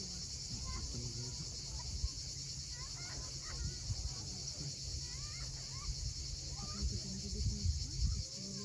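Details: Sunset cicada chorus from a steep sea cliff at Cape Fiolent, Crimea: an even, sizzling high buzz holds steady, crossed by several quick rising and falling bird whistles and a low wash of surf.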